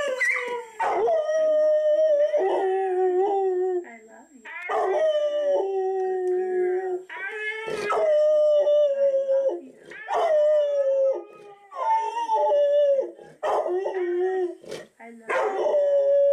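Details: Ike, a three-year-old black Labrador Retriever, howls in long, wavering, wolf-like bursts, each rising and falling over a few seconds, crying and whining in reaction to a talking Husky video on TV.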